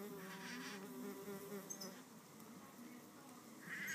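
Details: Solitary red mason bees in a fight over a nest cavity, pushing, shoving and biting. A steady, rich buzzing hum swells and fades, with a brief higher whine near the end.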